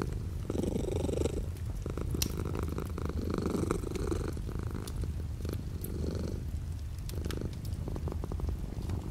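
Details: Domestic cat purring with light rain falling outside the window; a steady low rumble swelling in breath-like phases about every one and a half seconds, scattered sharp taps and ticks of raindrops over it.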